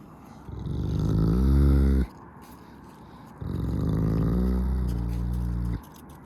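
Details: Wolves at the Park of Northern Wolves in Saint Petersburg, two deep drawn-out harmonic growling calls of about one and a half seconds each, separated by a short pause, over a low background rumble.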